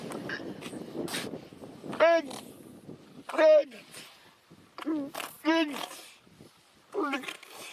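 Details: Seal calling in short, strongly harmonic, moaning bursts that bend up and down, four or five cries spaced a second or two apart over soft background rustle.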